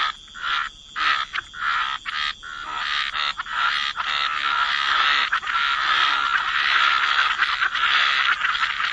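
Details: Chorus of frogs at a wetland edge, a few separate croaks at first, then a continuous overlapping wall of raspy, mid-pitched croaking from many callers.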